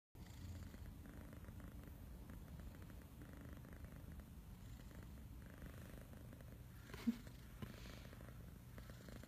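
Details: Lord Wellington the cat, a kitten purring to his human indoors; a steady low rumbling purr throughout, pulsing in rhythmic breaths, with a brief soft click near the end.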